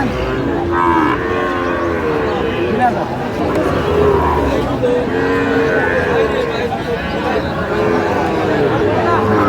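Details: Sahiwal bull calves at a crowded cattle market, a farmer from Kushtia shopping on 8/5/25; low drawn-out lowing overlaps through the clip amid constant chatter of haggling traders.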